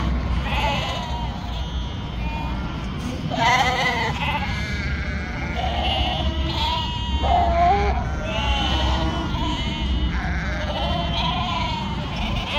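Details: Ewe on a northern Spanish sheep farm bleating repeatedly, each call a shaky, vibrato-laden cry of about a second, several sheep overlapping, with a constant low rumble in the background.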